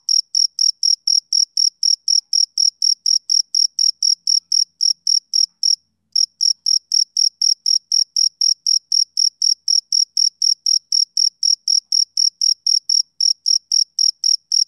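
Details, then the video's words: Male cricket chirping on a summer evening: shrill, high, rhythmic pulses repeated about three times a second in a steady train, with one brief pause near the middle. No other sounds. "Cricket Chirping Sound Effect"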